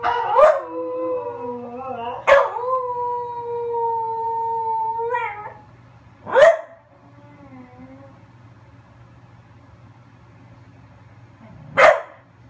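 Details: A female dog, howling again as though talking, holds a long steady mid-pitched howl for about five seconds, then lets out sharp single yelps near six and twelve seconds, with a soft low hum between.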